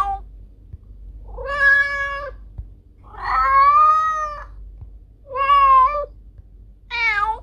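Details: Meowing cat, offered as a rat repellent: four sustained, slightly nasal meows, the longest lasting over a second, flat to gently arching in pitch, separated by brief pauses above a quiet low hum.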